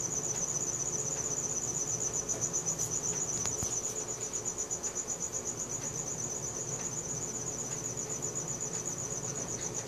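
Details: At night a cricket chirps continuously in a high, evenly pulsed trill near four pulses per second; a few sharp ticks and a faint lower tone sit in the background. Recorded on a Samsung Galaxy S4.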